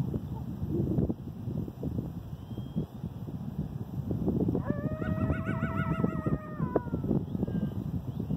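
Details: Coyote howl recorded 8/11/2018: after several seconds of low background rumble, a single sustained howl rises in, wavers with a rapid tremolo for about two seconds, then cuts off, leaving the rumble.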